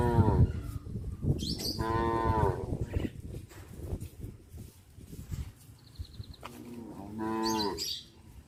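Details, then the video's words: Cows on a village farm walking back to the barn in the afternoon, mooing in three deep, harmonic bursts: a short one at the start, a longer drawn-out low at two seconds, another near the end, over steady rural background noise. "The cattle walk back to the barn in the afternoon - Sound of cows"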